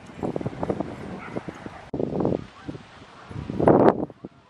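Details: Alaskan Malamute Sojou, a female, at sled dog training with her mother Sola and other sled dogs at Farren Park, Ontario, Canada, October 24, 2020; rapid clusters of short barks and yelps in three bursts, the last loudest.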